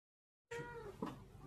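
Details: Domestic cat giving a single short meow, a faint tonal cry that falls slightly in pitch, followed by a brief soft murmur.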